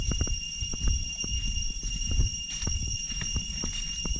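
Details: A constant piercing hum of cicadas fills the deep jungle near Chhay Yong Waterfall, Areng Area, Koh Kong Province, Cambodia, layered over irregular clicks and thuds of someone walking the trail.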